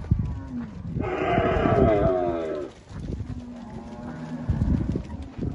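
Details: Angus cattle for sale on a farm in Palmeira dos Índios, Alagoas, Brazil, one loud, harsh, drawn-out bellow lasting about two seconds, then lower moos from others and a brief voice.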